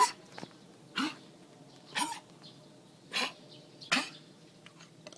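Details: A dog coughs and gags as though something is stuck. It gives five rough, explosive hacks spaced roughly a second apart in a quiet room. Soft chirping birds are heard faintly behind.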